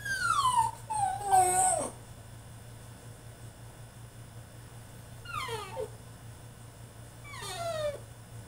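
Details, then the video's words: During a tantrum in his cage, a male French Bulldog gives a loud, falling whine followed by a short yelp, then two softer, sliding whimpers spaced a couple of seconds apart over a low humming background. "FRENCH BULLDOG THROWS TANTRUM IN HIS CAGE!!"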